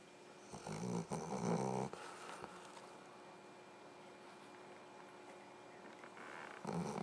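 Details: A pet dog snoring indoors: one rough, buzzing snore from just after the start to about two seconds, a long quiet stretch of soft breathing, then another snore beginning near the end.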